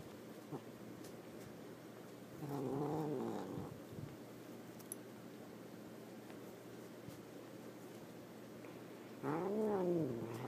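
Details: Bosco, a pet cat, unhappy at being moved into the bedroom and given catnip in a sock, gives two drawn-out, wavering yowls indoors, the first rising and falling, the second arching up and down near the end.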